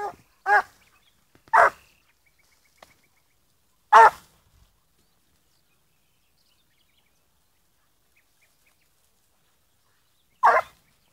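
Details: Young blue griffon bitch, fourteen months old, on the scent of wild boar, letting out four sharp single barks spaced irregularly across eleven seconds, with near silence between them in open countryside.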